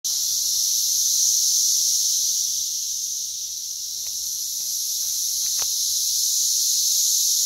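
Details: Brood X periodical cicadas emerging in great numbers in West Virginia in June 2021, a loud chorus averaging 85 dB; a dense, steady high-pitched hiss-like drone swelling and easing slightly, with a few faint clicks.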